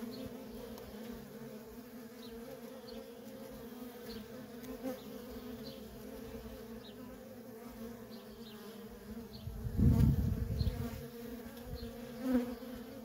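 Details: Constant droning of worker bees at a feral honey bee colony, an even mid-pitched hum broken by a loud close pass or knock about two-thirds through and another shortly after.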